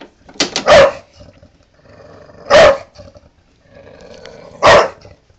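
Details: A pet female Bulldog getting mad at a lawnmower gives three loud, harsh barks spaced about two seconds apart, over a low steady engine hum, with a person's voice urging her on.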